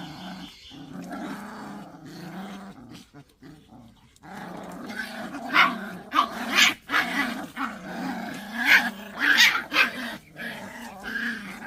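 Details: Pungsan dog in a rank fight, growling steadily: a low, continuous rumbling growl that swells into harsh, snarling bursts about every second in the second half, with short pauses between outbursts.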